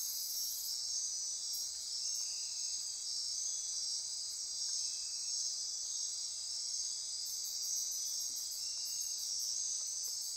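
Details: Costa Rican rainforest at midnight, Osa Peninsula near Corcovado: unbroken high insect trilling, overlaid at start and end by rapid very high ticking pulses, with faint scattered lower chirps.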